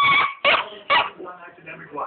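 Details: Pet husky singing along to a TV show: three short, loud howling bursts in quick succession, followed by quieter murmuring and a faint rising whine.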